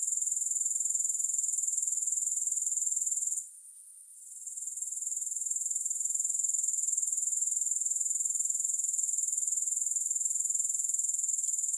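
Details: Grasshopper chorus without music: a thin, very high, rapidly pulsing buzz that holds steady, cuts out abruptly for about half a second midway, then gradually rebuilds to a continuous shimmering drone.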